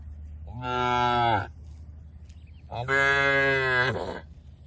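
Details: Cattle grazing in the open within an oil palm plantation in Indonesia; two loud, drawn-out moos of about a second each, separated by a short pause, clear and full with little background noise.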